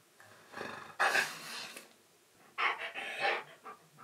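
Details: Siberian Husky named Key, indoors, talking back while teased about his chunky, fluffy neck: two bursts of breathy, rough, grumbling vocal sound about a second long each, separated by a pause, with soft panting between.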